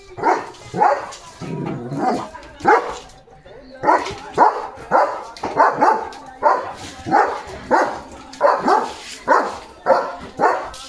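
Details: Leo, a German Shepherd, just after a bath and on alert duty, barks in a steady run of loud, rough barks about every half second to second, with a short pause early on and faint speech in the background.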